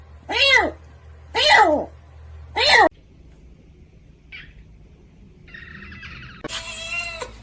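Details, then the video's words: Domestic cat, from a cat fight compilation, giving three loud meows about a second apart, each rising then falling, followed by quiet room hush, a brief faint squeak and a harsher, higher wail at the end. "Cat Fight"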